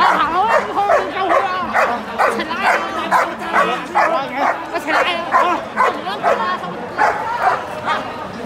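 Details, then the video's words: German Shepherd police dog on a Saturday night in October 2022 in Lan Kwai Fong, Hong Kong, barking in quick repeated bursts, about two per second, amid a crowd of people talking. "German Shepherd Police Dog"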